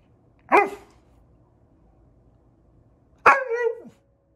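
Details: A male Siberian Husky, frustrated while getting kibble out of a bob-a-lot food puzzle, lets out a short, sharp bark, then a few seconds later a drawn-out, wavering yowl that slides downward; the room is otherwise quiet.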